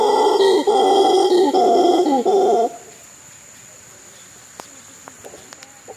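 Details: A howler monkey, encountered near a bridge on the trails at Místico, gives deep, hoarse, grunting roars in short bursts, then goes quiet.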